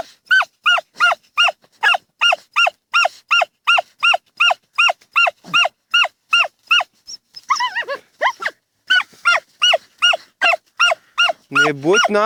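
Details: Two dachshunds, Tasya and Kessi, digging in a field in autumn 2015. A long run of sharp, evenly spaced barks, roughly two to three per second, pauses briefly, then resumes, ending with a louder, rougher yelp.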